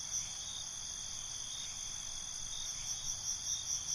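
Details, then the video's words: Night-time cricket chorus, shrill continuous chirping high in pitch, with soft rhythmic pulses swelling toward the end over a constant insect drone. "Night ambience, Cricket Conversations"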